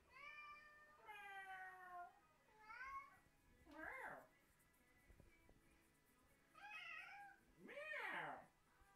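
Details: Cat indoors answering people's fake meowing with a deranged meow; a run of harmonic meows, then rough, rising-falling yowls that grow louder toward the end.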